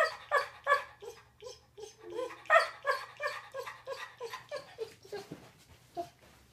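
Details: A yellow Labrador Retriever that mixed up the bed vocalizes in a rapid run of whiny, yodeling grumbles and short yips, as if explaining himself to his owner.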